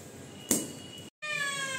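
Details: Rowdy domestic cat making demands, meowing indoors: a short click, a brief gap, then a long harmonic meow held steady with many bright overtones, under a faint background hiss.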